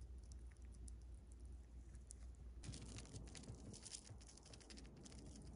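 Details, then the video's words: Pet chipmunk named Ron stuffing his cheeks too much, heard up close indoors: rapid dry crunchy clicks and nibbling ticks, growing denser and louder after the first two and a half seconds, over a low steady room hum. "ほっぺパンパンのシマリス ロン Chipmunk Ron stuffs his cheeks too much"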